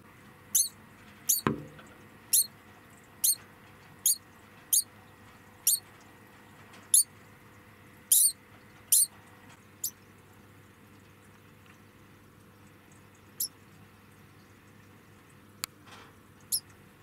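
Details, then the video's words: A pet degu, moved into a small room while its cage is cleaned, gives a series of sharp, high squeaks of protest, about once a second, then fewer. "お掃除で避難中のデグー"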